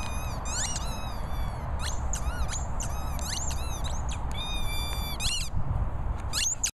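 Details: Airedale Terrier Jorjie gives bursts of shrill squeaking, arched and upswept whistly notes in quick clusters with short gaps between them, against a steady low outdoor rumble, ending abruptly.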